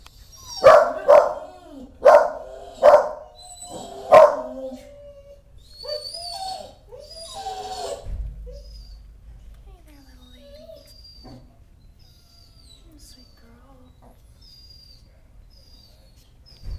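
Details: Dog mother with newborn pups gives five loud barks over about four seconds, then quieter whining yelps and faint high squeaks, with a low thump partway through.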